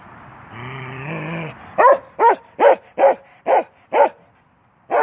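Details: Male Norwegian Elkhound puppy of 10 months, Keweenaw, playing through a fence: a rough, steady growl for about a second, then six crisp barks roughly every 0.4 seconds, a short gap, and one final bark.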